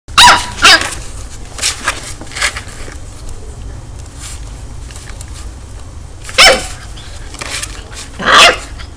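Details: Two-month-old puppy named Urano in São Paulo, Brazil, barking at its reflection on first seeing a mirror: short sharp yaps, a pair near the start and two more around six and eight seconds, with quiet indoor hum between.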